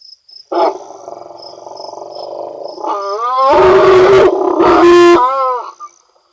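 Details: Elephant throwing a tantrum because it wants milk: a loud, harsh harmonic bellow that rises into shrill, squealing trumpet blasts with two noisy roaring bursts midway, then fades, over steady pulsing cricket chirps.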